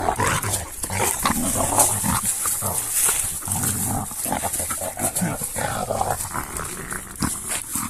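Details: Two female Sarplaninac dogs playing roughly together, giving dense, rumbling growls and snarls that rise and fall continuously with brief louder bursts, accompanied by scuffling and panting noises of the play.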